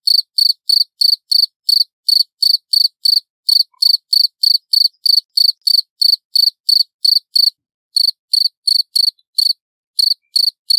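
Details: Cricket recorded loud and clear as a tutor sound for songbirds: rapid pulsed chirps, high and ringing, about three per second in a steady run with a few brief gaps, nothing else heard.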